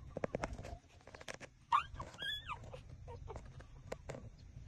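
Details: Six-day-old puppies suckling at their mother's teats; a brief high squeaky whimper with an arching, falling pitch stands out among wet clicking and smacking suckling noises.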